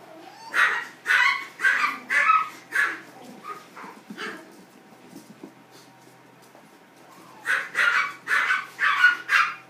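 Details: Poodle puppies giving sharp high yaps in quick runs of about five to six, a quieter stretch of soft scattered noises in the middle, then another burst of rapid yaps.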